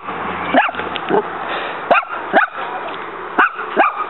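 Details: Backyard skirmish: the female dog Muñeca barks while trying to fight a praying mantis that keeps striking back. About five short, sharp barks are spaced unevenly over four seconds, with quieter yard noise between.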